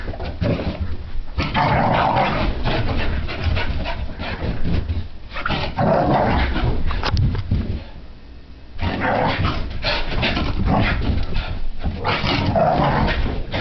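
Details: During a frantic burst of puppy energy at home, Sophie the French Brittany Spaniel produces gravelly growls and low woofy grunts in rapid, irregular runs, with a quieter gap near the middle and floor knocks throughout.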